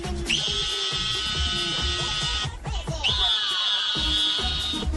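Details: Television music carrying a long, steady high electronic tone that drops out briefly and returns, over busy low beats and faint voices, with no animal voice heard.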